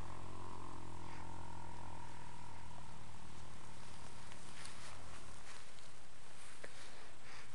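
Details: Relaxed 10-year-old registered foxtrotter horse dozing on old hay in the afternoon; a deep, even hum sounds for the first two seconds and fades away, leaving soft rustles and faint background noise.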